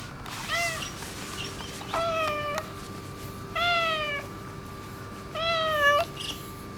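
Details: Affectionate neutered ginger tabby boss cat calling with four meows spaced about one and a half seconds apart, each rising slightly then dropping at the end, over a constant faint hum.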